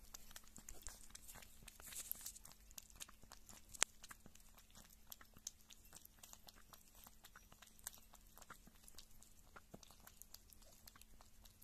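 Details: Pet kitten indoors, described as a keen food lover, eating meat and drinking milk; dense rapid clicking and crunching from chewing runs throughout, with sharper bites now and then over a steady low hum in a small room.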